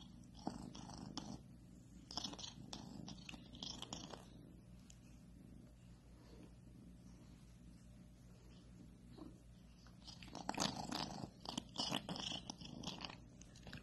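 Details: Domestic cat purring: a low, steady rumble runs through much of the recording, interrupted by scratchy, chewing-like bursts near the start and again toward the end.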